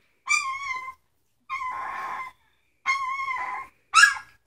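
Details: Young Samoyed puppies, three weeks old, repeat steady, flat whines about once every second and a half, one of them rough and breathy, ending in sharp, loud yelps.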